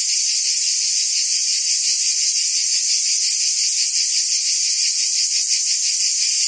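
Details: Forest cicadas in the trees keep up one continuous loud, hissing buzz, high and even, faintly pulsating many times a second, with nothing else standing out.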